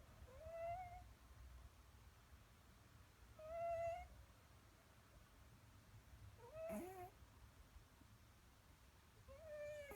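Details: A cat named Leo asleep in the morning, snoring with a soft, whistling nasal tone that returns about every three seconds over a quiet indoor background.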